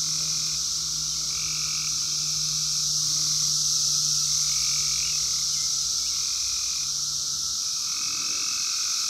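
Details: In the wild, 2021's 17-year Brood X periodical cicadas, phone-recorded: an endless shrill chorus with intermittent lower whirring phrases repeating every couple of seconds, and a faint low hum underneath.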